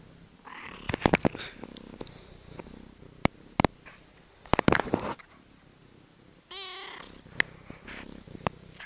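A Norwegian Forest cat gives a short, wavering meow among rustling and clicking handling noises.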